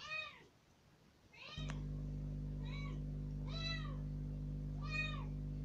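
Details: Newly rescued kitten out of its cage for the first time calls with surprising volume, demanding to be let outside; five rising-then-falling meows in quick succession over a constant low electrical hum.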